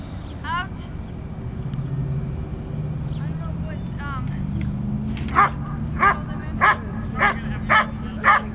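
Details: Standard Poodle male in Schutzhund bite work training; human talk first, then six regular sharp barks about every half second, over continuous low rumbling background noise.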